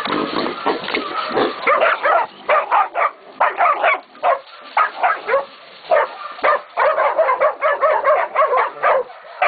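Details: Pups of Catahoula and Black Mouth Cur breeds, 16, 11 and 14 weeks old, baying a pig at Golden Creek Catahoulas Kennel; dense, rhythmic volleys of yelping barks from multiple dogs, with rough, noisy sounds mixed in between.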